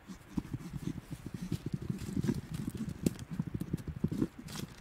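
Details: Low, rumbling growl from wild Tasmanian devils feeding at night in the Tasmanian bush, a rapid, continuous pulsing throb with occasional sharper crackles and crunching sounds throughout.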